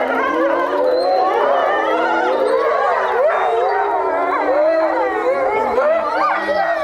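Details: European wolf pack howling together at Tama Zoological Park, Japan; long overlapping howls glide and waver, a steady low tone beneath several higher voices that rise and bend.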